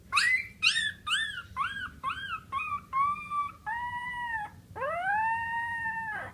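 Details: A dog howls: a run of short, quick, arching yelps slides lower and lengthens into notes, then a long, steady, rising-and-falling howl closes the sequence.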